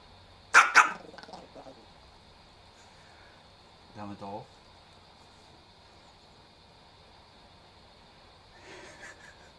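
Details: Chihuahua Kohaku barking in fury as its owner imitates snake-fist kung fu moves: two sharp, harsh barks close together at the start, then a human voice and a faint later bark in a quiet room.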